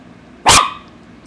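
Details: ['An 8-year-old female poodle barking while chewing imaginary gum; one short, sharp, loud bark, then quiet.']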